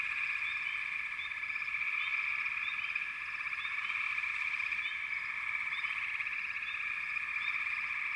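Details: Frogs in full chorus, a buzzing, pulsed trill that never pauses, with frequent brief rising chirps scattered over the top.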